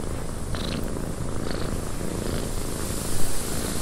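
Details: Cat purring in a windy cabin, its low even rumble fairly quiet beneath a broad wind hiss, with a few short whistling gusts.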